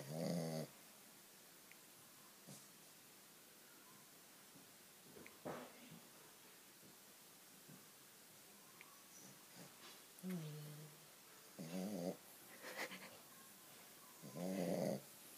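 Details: Shih Tzu dog snoring loudly, described as begging for more: short nasal snorts and rumbling breaths in bursts at roughly two-second to four-second gaps, with quiet pauses between and faint background noise.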